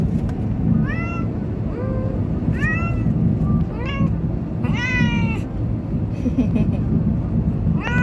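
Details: On its first ride, a Munchkin cat, scared or excited, meows about seven times. The calls are bent and rising, and one is longer and wavering. A constant deep engine drone runs beneath them.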